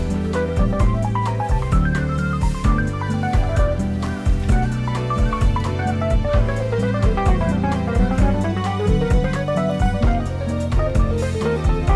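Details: Upbeat plucked-guitar background music with a steady beat plays throughout, and no animal voices are heard.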